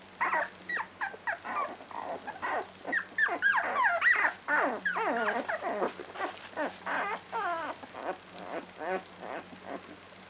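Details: Two-week-old Labrador Retriever puppies squealing and whimpering: a dense run of high, wavering, harmonic yelps and squeaks, several overlapping, coming rapidly for about ten seconds over a steady low hum.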